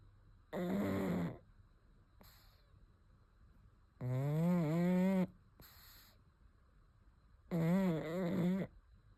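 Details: Sleeping pug snoring: three loud, droning, nasal snores, each about a second long and a few seconds apart, with faint breathing hiss in the quiet gaps.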